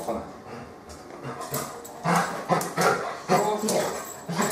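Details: A 13-year-old, 33-kg female Labrador Retriever with dynamic laryngeal narrowing on expiration and atypical laryngeal paralysis, showing persistent harsh panting. Rough, noisy breaths grow louder in the second half and come in quick bursts about every half second.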